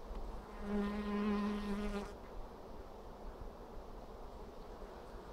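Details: Honey bees at an apiary on 2 April 2016 during a hive inspection for brood: a loud, steady buzzing tone passes close for about one and a half seconds, then drops back to a soft, low colony hum.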